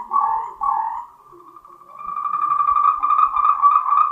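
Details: Taiwan's endemic Moltrecht's green tree frog calling to mate: two short, loud rattling bursts, a brief softer lull, then a long, even series of quick pulsed croaks at a steady mid pitch.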